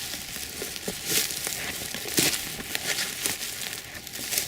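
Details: Crinkling and rustling handling noise with scattered crackles, and no animal voice heard.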